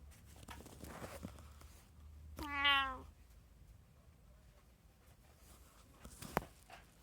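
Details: Domestic cat from a household of three (tabby, Munchkin and Abyssinian) recorded on 6 January 2024 at home: a single rising-then-falling meow of about half a second, with faint rustling and a soft click before and after.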